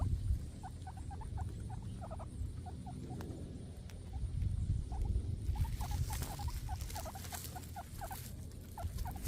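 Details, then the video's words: Several guinea pigs eating grass: rapid, fine crunching bites repeated about three times a second, in bursts with short pauses, over a low steady rumble of background noise. "cute guniea pigs eating grass sound"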